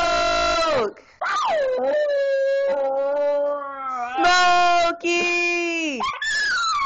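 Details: Pet Miniature Schnauzer singing: long, sustained, wavering tonal howls with rich harmonics, sliding up at the start of phrases and dropping at their ends, broken by short pauses, with a person's voice briefly audible.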